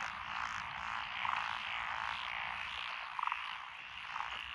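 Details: Chorus from lotus paddy fields in Echizen, Fukui, Japan, in June 2021, made up of Japanese tree frogs, pond frogs, wrinkled frogs and two green tree frog species. A dense, ongoing croaking buzz has short, louder rattling croaks rising above it several times.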